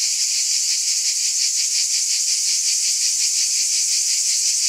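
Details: Summer-night cicada chorus, a continuous shrill buzzing wash pulsing about three times per second at an even loudness throughout, nothing else audible.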